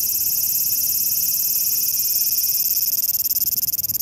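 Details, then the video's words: Large brown cicada (Graptopsaltria nigrofuscata), recorded 18 August 2020, sings a loud, steady, high sizzling buzz like oil frying in a pan, the sound its name is said to come from. "蝉の鳴き声 アブラゼミ"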